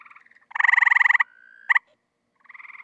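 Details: Tree frogs singing their mating song while looking to breed in a pool: loud pulsed rattling trills, one long burst of rapid even pulses, a thin steady tone, then fainter trills from other frogs before and after.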